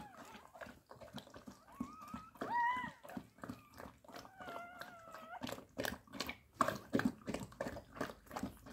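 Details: Labrador Retriever puppies whimpering: a quick rising whine, then a longer wavering, nasal whine, amid constant chewing, gnawing and clicking noises from the litter.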